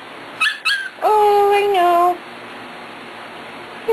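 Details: Corgi puppies about four weeks old whining: two brief high yelps, then a long, clear, slightly falling whine lasting about a second, followed by quiet room tone.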